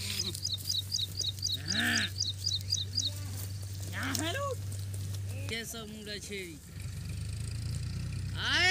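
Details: Goat kids bleating: short, rising-and-falling harmonic bleats spaced a few seconds apart, with a quick run of high bird chirps early on and a steady low hum underneath.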